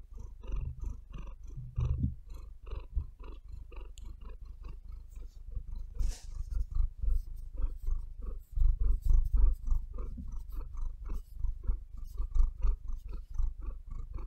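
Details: Domestic cat purring and breathing close up indoors on a bed, a steady low rumble pulsing in quick rhythmic bursts, with louder thuds and scratches as her claws knead into the bed.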